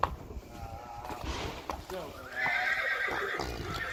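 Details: Three-year-old Friesian horse at home during its first driving training: a loud, drawn-out whinny rises and holds high, with hoof clops and people talking in the background.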